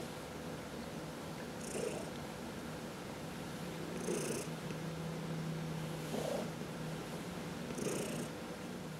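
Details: Indoor cat purring under a massage, part of a home with four cats including senior shelter cats Heidi and Dinah; quiet continuous low purr with periodic rustling strokes about every two seconds and a faint steady hum.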